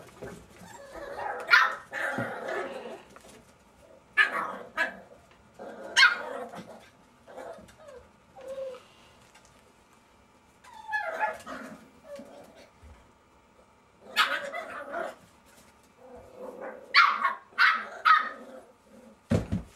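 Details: Jack Russell Terrier puppies at play, trading short bursts of high-pitched yaps and rough, scratchy growling noises, clustered in noisy flurries separated by brief quiet pauses.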